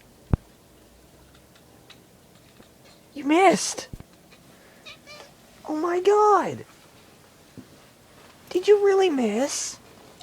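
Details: Female pet cat indoors, frustrated while eyeing a mosquito up in a ceiling corner: three drawn-out harmonic meows, each rising then falling, spaced a few seconds apart, with a sharp click near the start and quiet room sound between.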